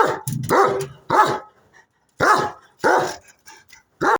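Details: Loud, sharp single barks from the German Shepherd Odin, about five of them spaced roughly half a second to a second apart, with a low grumble between the first two.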